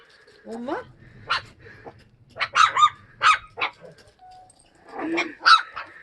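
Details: Sapsali mother Suri and her puppies, fostered after birth at the Gimje shelter. Separate short barks spaced a second or so apart, one rising whine at the start, with faint talking between them.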